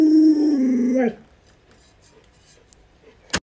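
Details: Alaskan Malamute Luoluo begging its owner for a chicken drumstick, giving a single sustained howl for about a second that wavers slightly and rises at its end before a quiet room, closed by a sharp click.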